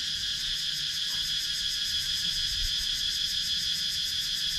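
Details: A dense, continuous cicada chorus from wooded countryside in Sakon Nakhon, Thailand, recorded with a GoPro Hero 9. The high, ringing buzz holds constant throughout, with a rapid rhythmic throb at the top, over faint low rumble.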